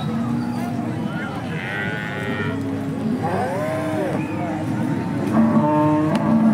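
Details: Holstein Friesian cattle at the Peth Vadgaon cattle market in Maharashtra, India; a short, low, harmonic moo near the end sounds above steady crowd chatter, nearby voices and faint traffic.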